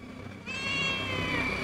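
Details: Hungry homeless cat giving one long, steady, plaintive meow that starts abruptly and holds its pitch, with a faint low hum beneath.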